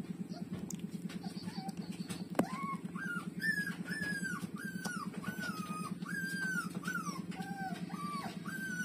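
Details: A breastfeeding puppy, Lulu, with its mother. After a sharp click, drawn-out arched whimpers repeat steadily, each lasting around half a second, above a strong low pulsing drone.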